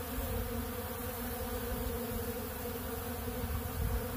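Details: Crowd of honeybees at a big blue pollen feeder eating ultra bee pollen: even, rumbling hum of countless wingbeats, dense and continuous, a slight swell near the end.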